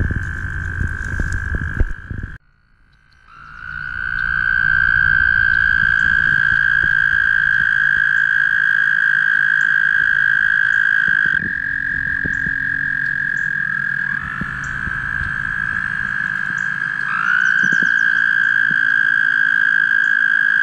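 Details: Several toads trilling during mating at the Guildwood waterfront. After a brief quiet gap, long steady trills overlap one another, each starting with a short upward slide before holding a level pitch for many seconds.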